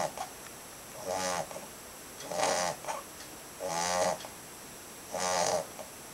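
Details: Nyusha, a 2.5-month-old Labrador Retriever puppy, snoring: four raspy, rattling breaths with a buzzy vibrating texture, each lasting about half a second, spaced roughly every 1.3 seconds in a quiet room.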